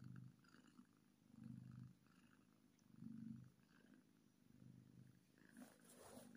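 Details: Happy kitten purring, a low rumbling purr in swelling pulses roughly every one and a half seconds, each breath cycle rising and falling, with faint rustling at the end.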